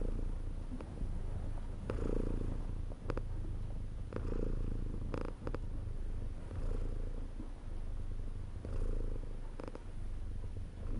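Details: Cat purring continuously, deep vibrating rumble that pulses louder on alternate breaths roughly twice every four seconds, with occasional small taps and clicks.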